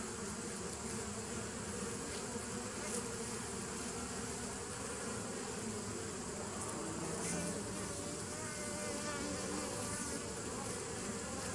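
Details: Continuous buzzing of bees, recorded 27 September 2018; a thick, droning hum with faint wavering tones drifting through, steady in loudness.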